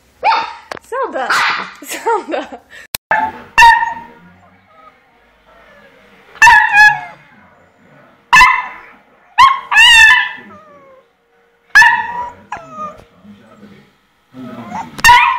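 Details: Puppies giving high, bright yaps repeated irregularly roughly every one to two seconds, some in quick doubles, with a person speaking over the first seconds.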